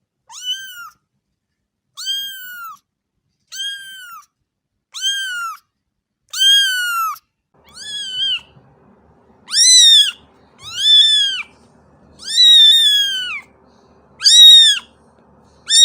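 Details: Cat giving repeated meows roughly every one to two seconds, arched in pitch, growing louder and more strained in the second half over a faint low background hum.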